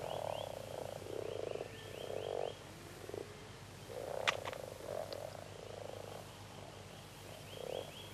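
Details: Male common frogs gather from all sides in shallow, plant-grown water near the shore at the peak of mating, joining a chorus of low, purring, growling croaks in overlapping bursts that help them find mates.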